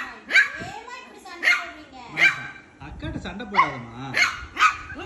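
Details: A Shih Tzu puppy play-fighting with its sister gives shrill, sharp yaps about once a second; midway a lower, wavering whine or growl slides between the barks before the yapping resumes.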